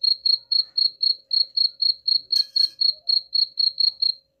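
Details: Chirping cricket offered to drive rats away, a short run of bright, evenly spaced pulses about four per second, broken once by a brief crackling noise midway.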